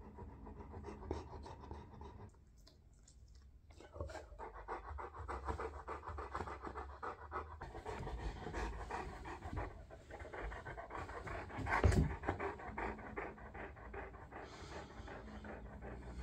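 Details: Olly, a clingy Bernese Mountain Dog seeking cuddles and attention while his owner tries to meditate, pants softly and rhythmically at close range, with rustling movement and a brief louder scuffle midway.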